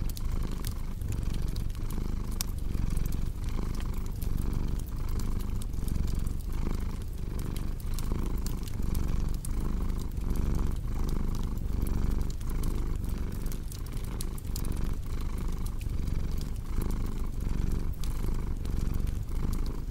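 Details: Long, even purring from a cat: a deep, throbbing rumble broken into regular breath cycles roughly every second, set against a continuous background of fireplace crackle and snaps.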